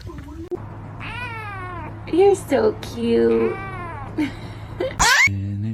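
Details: A cat meows several times in a row, each call arching up and then down. People talk over the calls and a steady low hum runs underneath.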